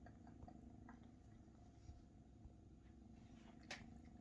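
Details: Large Maine Coon kittens purr as their mother Luna feeds them; a continuous low pulsing purr runs throughout in a small indoor room, broken by faint clicks and one brief sharp sound toward the end.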